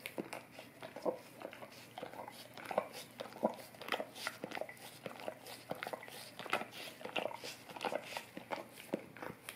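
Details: Golden retriever licking an Orapup tongue cleaning brush, meant to freshen breath: wet, smacking clicks and slurps come in irregular bursts of a few per second, recorded close up in a small quiet room.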